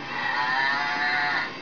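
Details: A Maine Coon playing with its father gives one sustained, steady meow under two seconds, bright, nasal and rich in overtones, slightly moaning, fading gently at the end.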